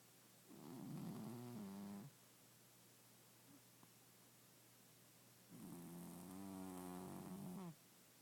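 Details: Pet cat snoring loudly while asleep, recorded in the dark; two long rasping, harmonic-rich breaths about two and five seconds apart, each lasting over a second with a wavering tone, a faint steady hum between them.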